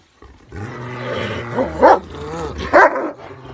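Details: Kangal dogs trying to dominate each other; a low rumbling growl builds, then two louder harsh snarling bursts break out about a second apart.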